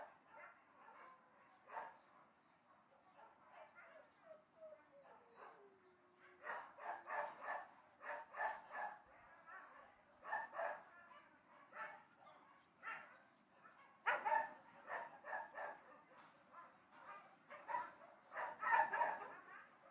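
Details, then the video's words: Dogs barking at a distance in rapid, overlapping volleys, with a brief falling whine early on, then denser, louder barking bursts toward the end. "Barking Dogs at a Distance"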